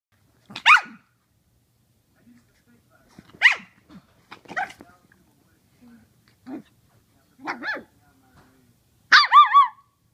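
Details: A small Pekingese Chihuahua mix puppy gives high, sharp yaps and short whiny barks.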